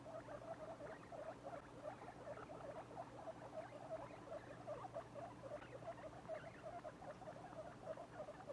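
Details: Baby guinea pigs, two weeks old and kept as pets, keep up a busy stream of short, low squeaky pulses, closely spaced and uneven in rhythm, over a faint electrical hum.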